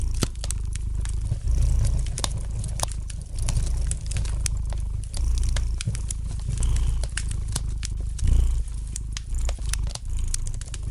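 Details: Relaxed purring of a domestic cat by the hearth, a rich low rumble in rhythmic inhale-exhale surges, accompanied by frequent light crackling and occasional louder snaps of burning wood.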